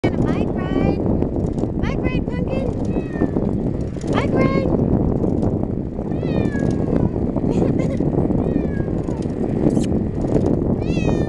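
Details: Ragdoll kitten riding along on a bicycle, not liking fast speeds, gives repeated short high meows, several in quick succession, over loud rushing wind and rolling noise.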